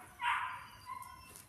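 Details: A single sharp, high yelp from a male KNPV Malinois puppy sired by Berry2, during foundation training, fading into a thin trailing whine against quiet background hum.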